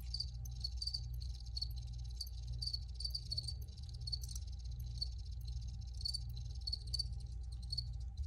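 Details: High-pitched cricket chirps come in a continuous ticking chorus, with pairs and triplets of short pulses spaced under a second apart, over a persistent low hum.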